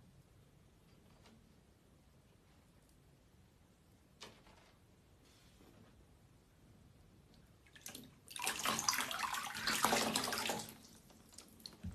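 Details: Quiet room tone gives way to a burst of running tap water around the middle, then fades again, with no animal voices.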